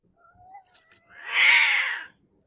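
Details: A domestic cat gives a short, harsh, low-pitched snarl during an aggressive, defensive encounter with another cat while patrolling a garden.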